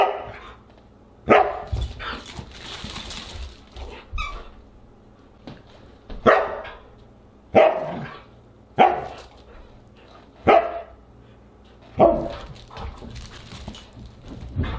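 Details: Siberian husky barking at dinner on August 30, 2022, giving about seven loud, abrupt single barks spaced one to two seconds apart, with some clattering early on and quiet pauses between barks.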